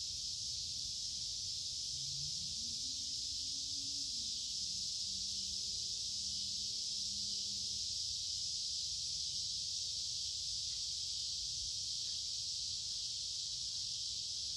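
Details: Summer cicadas by a woodland creek on a warm, humid day keep up a continuous piercing high buzz; a faint low tone rises and wavers mid-recording beneath the steady insect drone.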